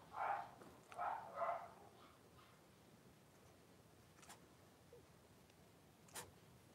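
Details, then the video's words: Blenheim Cavalier King Charles Spaniel puppies, a litter of five born on New Year's to Paris, in their indoor puppy pen on 26 January 2023; three quick whining yelps open the recording, then faint clicks over quiet room noise. "Cavalier Puppies Live: Paris and her Puppies"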